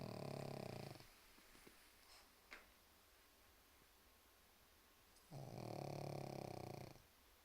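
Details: Sleeping pug snoring indoors in a small room: two long, rasping snores, each lasting about a second and a half, harsh and broadband, separated by a quiet pause of several seconds.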